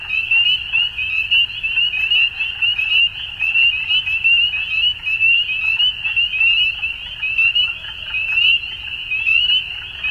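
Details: Dusk frog chorus: numerous frogs give high-pitched, fast trilling calls that blend into one unbroken shimmer, pulsing in loose waves near once a second.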